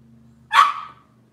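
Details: A single short, high-pitched yap from Cavalier King Charles Spaniel puppies of Robin's litter, kept indoors, rising sharply and fading within half a second over a faint low hum.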